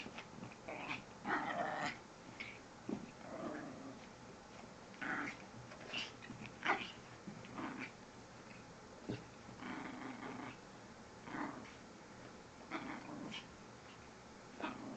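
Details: A pet Chihuahua playing indoors in the morning makes funny noises: short throaty growls and whiny grumbles in bursts every second or two, some rising into brief yelps.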